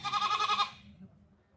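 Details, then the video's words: Domestic goats calling out in Nadia as their owner asks someone to go give them leaves; a single tremulous, wavering bleat of about half a second, then fading to a quiet background murmur. "কি ছাগল ডাকাডাকি করছে গাছ দিয়ে আসো কি"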